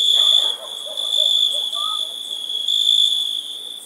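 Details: Crickets on a summer night produce a constant thin high trill with uneven swells in loudness, plus a few faint low chirps.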